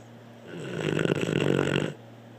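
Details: Blue the dog snoring in a small room, a single drawn-out raspy snore lasting about a second and a half, rattling and fluttering throughout, with a steady low hum underneath.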